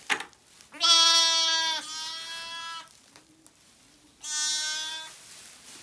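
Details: Zwartbles ewe, just after giving birth and protective of her newly moved lambs, is offered fresh water on a County Kilkenny farm. She gives two bleats: a long one of about two seconds, wavering midway, then a shorter one after a pause.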